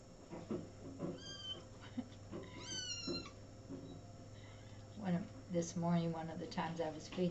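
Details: Little kittens indoors, recorded 2017-05-13: several high-pitched, rising and falling meows, some sharply upswept, scattered through the recording over a steady low hum, with people talking in Spanish nearby.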